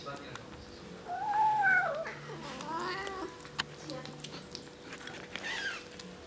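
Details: Kittens eating and talking to each other indoors: a quiet, rising-then-falling meow followed by a second softer, wavering mew, over a steady low electrical hum and faint clicks.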